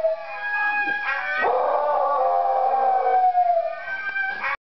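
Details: A chubby pet Beagle howls in long, drawn-out, mournful tones that waver and slide in pitch, howling along to a video of singing huskies.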